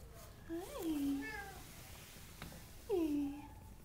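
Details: A domestic cat meows twice, each call a drawn-out falling mew, the first near the start and the second about two seconds later, with a faint click between them in a quiet room.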